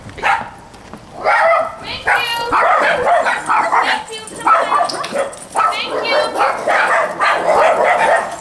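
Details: Several dogs in a daycare group bark in quick bursts, harsh mid-pitched barks with occasional higher yelps, nearly continuous, with human voices mixed in.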